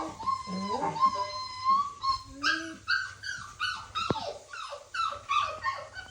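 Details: Puppy crying: a rapid run of short, high, tonal whimpers and yips with falling and wavering pitch, overlapping in quick succession, a sharp click partway through.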